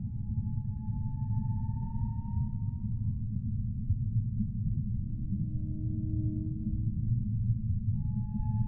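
Humpback whale song: long, drawn-out tonal moans, one slowly rising, then a deeper held note.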